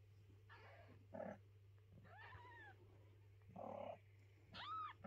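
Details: Domestic mother cat carrying her kittens and not letting anyone clean their little house; two clear arched meows, rising then falling, near the middle and end, with rough rustling bursts and a steady low hum between them.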